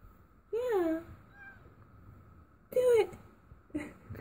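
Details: Female domestic cat during her first birth, indoors: two clear arched meows rising then sliding down, separated by about two seconds of quiet, with a shorter cry at the end and a faint steady hum.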